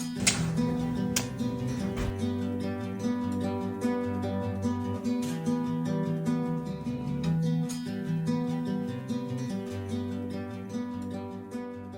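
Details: Strummed and plucked acoustic guitar music plays steadily throughout, with no animal voice present.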